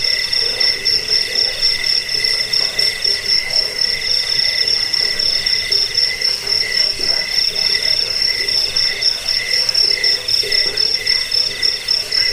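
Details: Insistent cricket trilling, meant to scare rats, soothe to sleep and tutor songbirds: bright high tones pulsing about four times per second, overlapping chirpers forming a constant wall of sound, nothing else distinct.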